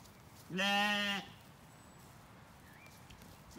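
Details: Zwartbles lamb in an orchard in County Kilkenny, Ireland, on a beautiful-light evening, settled after weaning: one clear, strongly harmonic bleat lasting under a second, steady in pitch, then quiet field background with a faint bird note.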